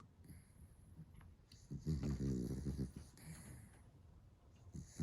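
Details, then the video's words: A sleeping, dreaming Dachshund snoring indoors. Low, rough rumbling snores with a brief strained, buzzy harmonic sigh near the middle and soft breathy hiss between breaths. "코골이,잠꼬대ㅋㅋ꿈에서도 달린다"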